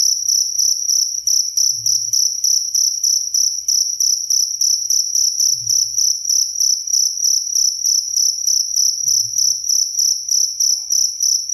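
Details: Cricket chirping, recorded as a clear master track for training songbirds: a bright, high, steady trill pulsing rapidly in short regular chirps about three per second, with a faint low thump recurring every few seconds.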